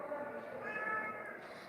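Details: Pet cat, once abandoned on the street and now living among rescued cats at home, utters a single sustained, slightly wavering mew lasting about a second against quiet indoor room tone.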